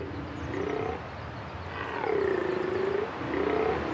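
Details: Stag in central Corsica during the rutting season, late afternoon, roaring to assert his presence and mastery of his territory: hoarse, drawn-out moaning roars in repeated bouts, each a second or so, low and rough.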